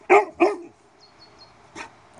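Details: Cane Corso dog barking on the command 'laut' during bark training: two loud, abrupt barks in quick succession, a pause with faint high squeaks, then a softer third bark.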